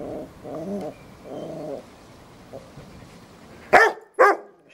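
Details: A guest Yorkie named Fred harassing Robbie the Rottweiler: drawn-out, harmonic growling whines open the sequence, then after a lull two abrupt, loud yaps ring out half a second apart.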